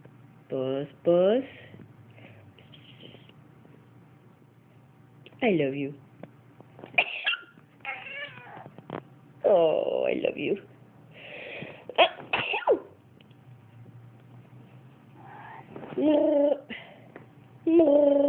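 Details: House cat meowing in response to its owner sneezing; a series of long, bending meows in separate bursts, interspersed with a person's voice speaking to it.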